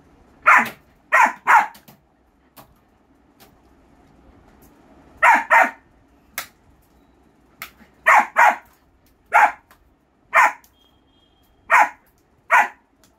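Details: German Shepherd puppy giving repeated sharp barks, mostly single or paired, in an irregular run of about a dozen over thirteen seconds, with a faint high tone briefly heard midway.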